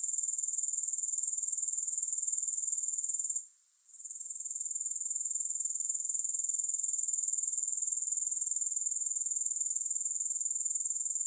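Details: Grasshoppers with no music, a steady high shimmering trill pulsing about four times a second, with a brief drop in loudness near the middle before the chorus resumes.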